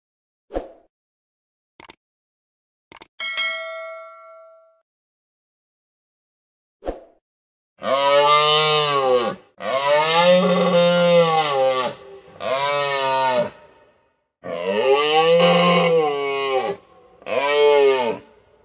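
A moose gives a series of long, drawn-out moaning calls, each rising then falling.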